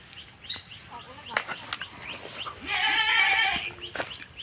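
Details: Domestic goat in a Bangladeshi village, straying onto someone else's grass, gives one harmonic bleat lasting nearly a second, with scattered clicks, faint bird chirps and background household noise before and after.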